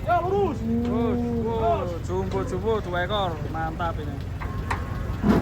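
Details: Giant cattle coming down off a truck give a long, steady, low moo lasting under a second, overlapped by excited human voices and shouting, with a vehicle engine humming underneath.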